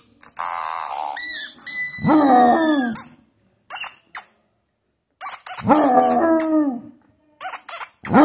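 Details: Basset Hound named Clifford howling: two drawn-out, deep baying howls of about a second each, sliding down then holding level, separated by bursts of high, thin squeaking sounds.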